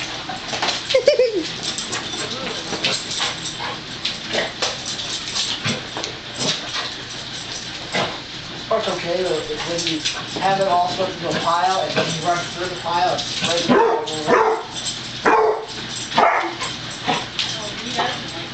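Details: Romo, a dog who has hated the broom and vacuum cleaner since he was a tiny pup, reacts with wavering, high whining and yipping cries in repeated bursts. A person's voice and steady background hiss are also heard.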